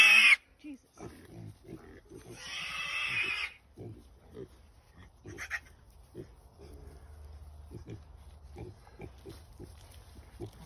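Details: Berkshire piglets newly brought home to a pasture-raised pork farm: one harsh, shrill squeal lasting about a second, surrounded by knocking and thumping in a wooden pen, with faint human voices.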